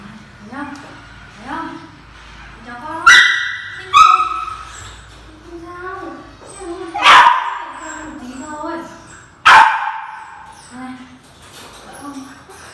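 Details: Corgi puppies barking and yipping in play; several sharp, loud barks with short yelps and whines between them, and voices in the background.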